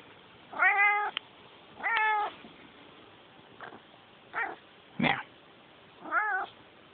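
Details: Domestic cat meowing six times in about seven seconds, the calls clear and harmonic, some rising then falling in pitch, spaced roughly one to one and a half seconds apart against a quiet background.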